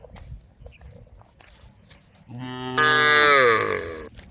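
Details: A single long moo from tame female cows calling the herd, beginning low and swelling abruptly into a loud, strained bellow before fading, after a quiet stretch of faint noises.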